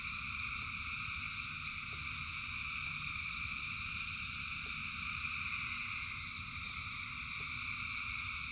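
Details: Thousands of frogs in rain produce a uniform, continuous high trilling drone, no individual calls separable, set against a persistent low rushing sound with occasional light ticking.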